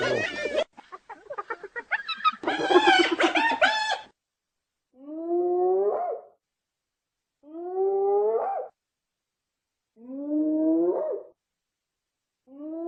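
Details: Hyena. Harsh, broken bursts and a raspy, giggling run open the sequence. A hyena then gives long, hollow whoops that swoop upward in pitch, repeated roughly every three seconds with silence between.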